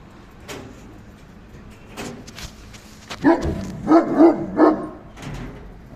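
A Great Dane gives a quick run of four loud barks after some quieter rustling.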